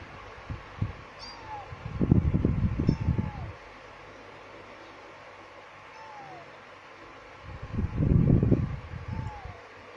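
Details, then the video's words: Two kittens, one male and one female, meowing: thin falling mews near one kilohertz come singly every few seconds, while louder low rumbling bursts of handling noise rise around the second and eighth seconds over a steady background hum. "Anak Kucing Mengiau / Kitten Meowing"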